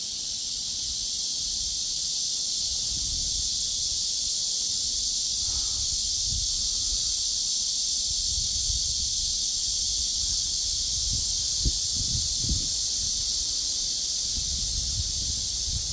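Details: Cicadas droning in a steady, unbroken high-pitched buzz from start to finish, with a cool wind rumbling low underneath and a few soft knocks near the end.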